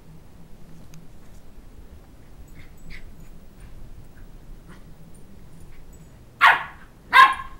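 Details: Shetland Sheepdog puppy, two months old, playfully chasing a toddler around a coffee table to win back a stuffed dog head; mostly quiet indoor room noise, then two loud high barks close together at the end.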